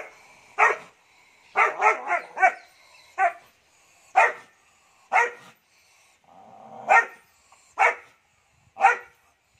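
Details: Sweety, a 3-month-old Doberman puppy kept as a pet, barking aggressively: about a dozen sharp, bright barks over ten seconds, some single and some in quick bursts of three or four. The background is otherwise quiet.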